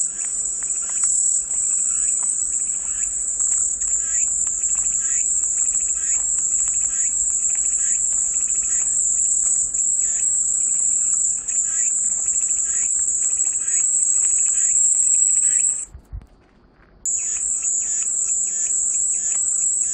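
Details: Calming cicada chorus: an intense, continuous shrill buzz holding one high pitch for about sixteen seconds, cutting out abruptly for a second, then resuming. Soft, rapid chirping sits underneath throughout.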